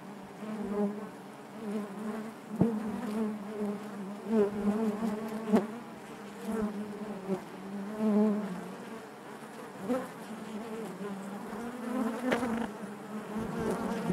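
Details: Honey bees buzzing inside their hive: a dense, continuous low hum with a strong droning tone and overtones, swelling and fading in loudness, with occasional sharp clicks or taps cutting through.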